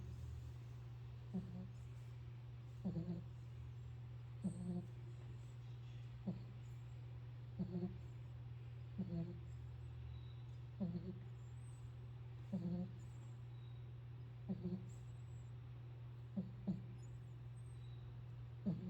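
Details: Pit bull asleep and snoring: low rumbling breaths repeat steadily about every one and a half seconds, each a short harmonic snort, over a constant low electrical hum.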